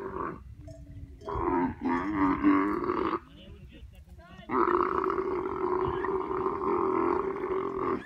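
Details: Female dromedary camel crying: two loud, harsh, groaning cries with rich layered harmonics, the first lasting about two seconds, then a short quiet gap and a longer sustained roaring cry of about three and a half seconds.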